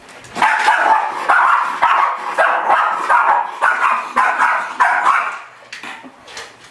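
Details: Miniature Schnauzer attacking its own reflection in a mirror indoors, barking in a rapid, frantic run of about eight harsh barks over five seconds, then a few softer yips as it settles.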